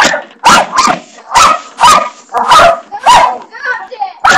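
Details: Pet dog barking at a bathroom doorstopper indoors: a rapid run of sharp, loud barks, about seven in four seconds, some doubled, with a brief person's voice mixed in near the end.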